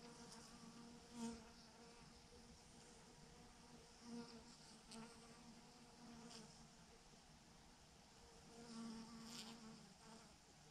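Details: Thousands of honey bees hang in a massive swarm clumped on a branch, giving a steady low hum with stacked overtones and a few louder swells as individual bees pass close.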